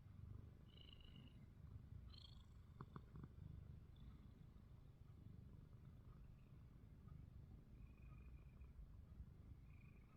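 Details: Ruby, a pet cat, snores with eyes open: a soft, steady low rumble runs through the whole stretch, with faint brief high squeaks scattered above it and a few quick clicks near the three-second mark.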